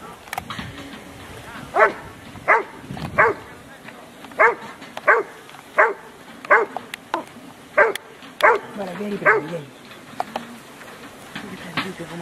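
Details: Rottweiler Huck dei Re Magi at an IPO3 section C trial of the Rottweiler Club Italiano, Rome, 18 November 2012, giving a series of about ten sharp, loud barks spaced under a second apart, with voices and outdoor noise behind.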